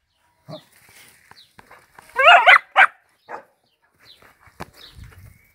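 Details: Dachshund playing football, dubbed a World Cup 2018 England Harry Kane wannabe, gives a short cluster of sharp, harmonic barks mid-clip, followed by a single shorter yap, with scattered thumps and faint handling noises around them.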